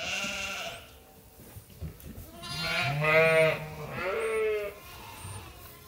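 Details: A group of farm sheep waits for feeding at Ewetopia Farms, giving a short bleat, then a pause, then a longer run of overlapping quavering bleats from several animals, some low and some higher and strained.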